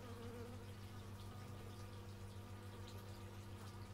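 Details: Bees buzzing outdoors, captured in stereo with an x/y microphone: a steady, low droning hum with layered tones that flicker slightly as the wingbeats overlap. The sound is quiet and continuous throughout, with no other clear sounds.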